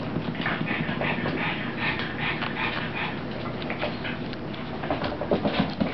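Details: Puppy Rosie playing with mommy gives quick, noisy, breathy pants in uneven bursts, with soft scuffling and a constant low background hum.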